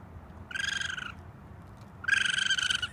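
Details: Young raccoon on a roof calling for its mother with two piercing, harsh cries; the first is steady, and the second is louder and throbbing, with a rapid pulsing wobble.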